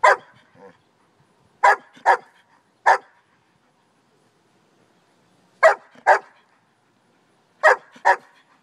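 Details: Pet German Shepherd giving short, sharp barks, mostly in pairs, about nine in total with pauses of one to two seconds between bursts; nothing else heard.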